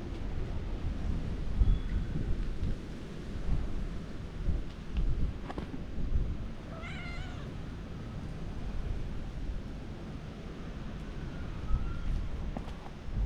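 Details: One of three cats in a family that walk together, wary of an approaching person, gives a single clear, wavering meow midway through. Heavy low-pitched wind rumble fills the background.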